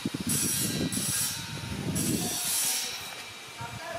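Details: Rumbling, rattling mechanical noise like a passing train, with bursts of high hiss and no animal voice.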